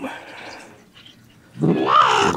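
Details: Cat indoors in a shared cat room where rescued cats live, one of them calling in a loud, drawn-out, rising-then-falling tone with a rough edge, after quieter room noise.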